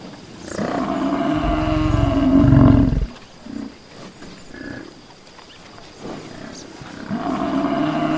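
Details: Buffalo outdoors in nature: a long, deep, growling bellow builds over about two seconds and cuts off sharply, then short soft grunts and quiet ambience, with another low moaning call beginning near the end.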